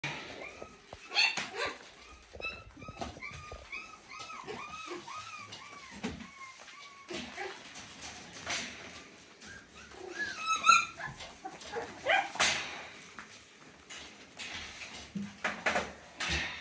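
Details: Papillon puppies, eight weeks old, from a litter of eleven at a kennel in the Czech Republic; high arched whimpering notes in quick repeated series, then scattered sharp yips, with a woman speaking nearby.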